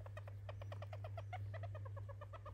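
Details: Pet hamster, indoors, squeaking where it had never cried before: a fast run of short, clipped, nasal squeaks, roughly eight per second, steady for over two seconds over a constant low electrical hum.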